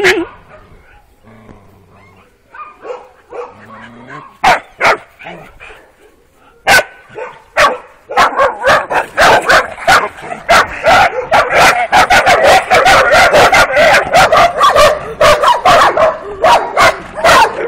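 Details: Working-type Kuvasz puppies, 12 weeks old, on their first street walk on 28 April 2017, with the litter's females Alfa and Omega: human voices at first, then from about eight seconds a dense, rapid run of high yips and barks.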